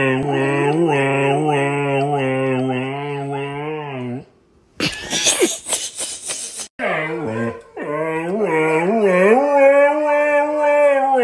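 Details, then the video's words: A female husky indoors 'talks' to her friends on the television: long, drawn-out howling vocalisations with a wavering, undulating pitch, broken midway by a short noisy burst, then resuming in sustained, rising and falling moans. "Chatty Husky Loves Talking to Her Friends on the TV"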